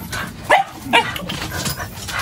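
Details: Silver, a family dog, is called by name while small ticks are being picked off it. It gives two short, sharp barks about half a second apart, followed by softer whimpering yips and faint background voices.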